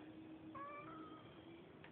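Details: A neighbourhood cat with a bit of an attitude gives one short, faint, rising-then-level meow lasting under a second, over a steady low hum, with a small click near the end.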